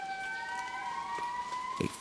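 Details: At dawn in a foggy Madagascar rainforest, an indri, from a family group of the largest living lemurs, gives a drawn-out, siren-like wail that rises slowly, rich with ringing overtones. It is a territorial call heard kilometers away; a brief low thump sounds near the end.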